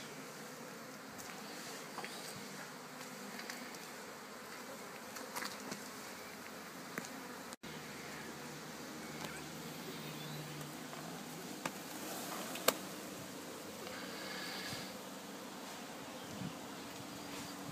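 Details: Relaxed bee swarm settled in a box during removal, giving a steady, low, continuous hum with scattered clicks and knocks from handling throughout.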